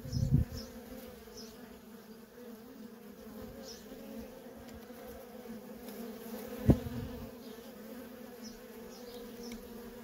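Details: Steady hum of worker honey bees coming and going at a feral colony, a low droning buzz with a higher overtone throughout. A low thud opens the recording and a sharp click comes near the seventh second.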